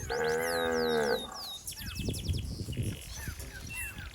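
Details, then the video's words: A single steady moo, just over a second long, from a calf looking for its mother in a flooded rice field. Falling bird chirps follow, then low rustling noise. "Suara Sapi Sedang Mencari Induknya"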